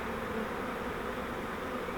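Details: Many honeybees from a swarm captured in a fiber flowerpot swarm trap, being transferred to a Langstroth hive, give a continuous, even droning buzz with a low humming tone throughout.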